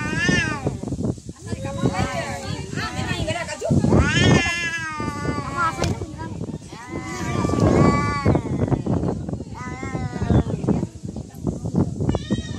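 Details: Cats fighting, a real cat fight: repeated wavering, drawn-out yowls rising and falling in pitch, overlapping and jostling, with human voices talking over much of the scuffle.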